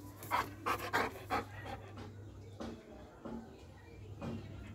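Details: Doberman panting: four quick, breathy puffs in the first second and a half, then softer, more irregular breaths over a steady low hum.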